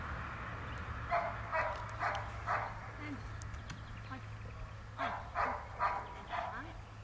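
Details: Seven-month-old female Cane Corso puppy giving a series of short barks, about one every half second in bursts, over a steady low hum, with a person speaking in the background.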